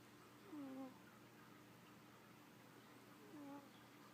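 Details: Female cat snoring in her sleep, two soft, whistly, slightly falling snore notes about three seconds apart against a steady low hum.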